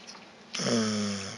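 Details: Vita, a pet dog, snoring indoors while resting after a walk: a single drawn-out harmonic snore lasting about a second, with another dog, Evchik, licking its paws in the background.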